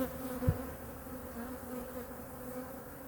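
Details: Honey bees of hive #2 at a winter checkup, with the colony's food stores examined and the bees fed. A sharp handling thump comes early, then a continuous buzzing drone on steady low tones, wavering slightly in loudness.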